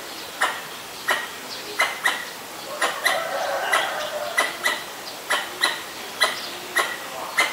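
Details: Alarm calls of a Pallas's squirrel (Callosciurus erythraeus) facing danger in Ubon Ratchathani, Thailand, on 1 January 2023, Nikon P1000: a steady run of abrupt, rasping chips about every half second, with a brief softer murmur midway.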